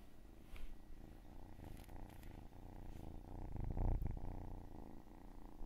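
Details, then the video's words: Domestic cat purring in a rapid rumbling pulse, about four beats a second, growing louder toward the end, with a faint steady tone and small clicks behind it. "Cat and cats purring and meowing"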